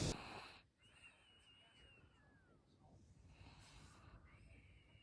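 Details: Pet dog asleep and snoring: a faint, thin whistle holds steady for about a second, then slides downward, followed by softer breathy whistles over a low background hum.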